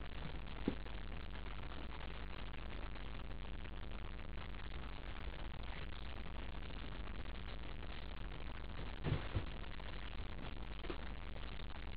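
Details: Quiet steady static hiss with a few faint rattles and knocks.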